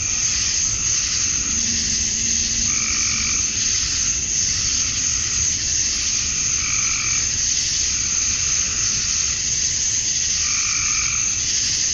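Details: On a summer evening at dusk in Georgia, USA, male cicadas keep up a steady high buzzing drone to attract females; a lower, croaking two-toned call recurs every few seconds, and a faint low hum comes in early.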